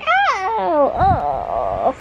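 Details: Butters, a pet cat, giving his morning meows indoors while sitting on a pillow: a long harmonic meow that rises briefly, then slides downward, followed by a shorter arched meow and a faint trailing note in a quiet room.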